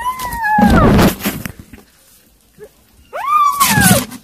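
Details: Kittens eating weaning food give two clear meows, the first falling, the second rising then sliding down, with crunchy, clattering eating noises between them.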